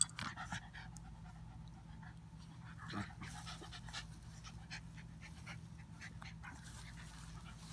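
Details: Two puppies at play, an Old English puppy and a mixed-breed mutt: soft panting and brief scuffling bursts with a few short squeaky yips, faint over a steady low indoor hum.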